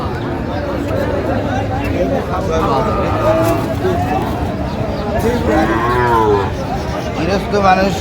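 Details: Sahiwal bull at a cattle market in Narayanganj, Bangladesh: drawn-out, wavering lowing moos rise and fall over steady crowd chatter and market hubbub.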